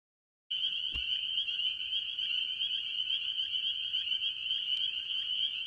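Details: Spring peepers, mostly, among various tree frogs at a farm pond early in the year: a dense chorus of high, shrill peeps forming a continuous band, starting after a half-second of silence, with a sharp click near one second.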